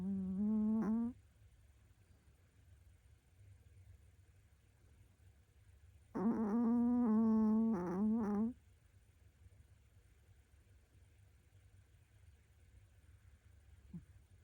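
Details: Sleeping female Pomeranian beside the owner's bed gives loud, steady, humming snores, one short and one lasting about two seconds, with a long quiet gap between them and a faint sniff near the end.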